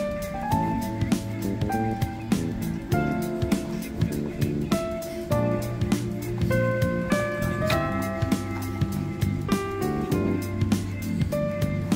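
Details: Only cheerful instrumental music plays, with steady bass and bright plucked and keyboard notes repeating in a regular beat; no animal sounds can be heard.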